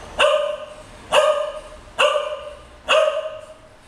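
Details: Indoor bed play by English Cocker Spaniels Moving and Luize, aged nearly 13 years and nearly 9 months: four loud, clipped barks spaced roughly one second apart, each with a short ringing tail, against faint background hiss.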